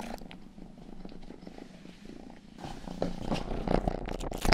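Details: Rang-i, the youngest pet cat, purring indoors during ear grooming: a steady low rumble runs through, joined in the second half by wet licking clicks and rustles close by.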